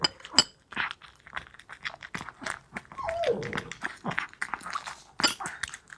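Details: A Maltese dog named Wanzi eats a nutritious meal, excited at the tasty food: rapid crunching, chewing and clinking of bowl or utensils throughout, with a short voiced sound midway.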